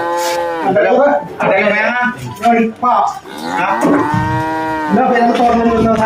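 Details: Cattle being loaded onto a vehicle for Qurban in 2024, giving long, loud, harmonic moos, one at the start and a sustained, slightly falling one near the end, with shorter bellows and clattering between.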